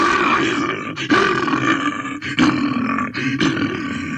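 A bear roars in a long, harsh, throaty rumble broken by a few brief pauses.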